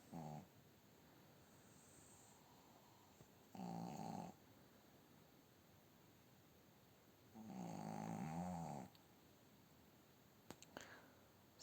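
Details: Snoring from a female pug asleep in the owner's bed: three slow, low buzzing breaths spaced roughly four seconds apart, the last one longer and rougher, with near silence and faint hiss between them.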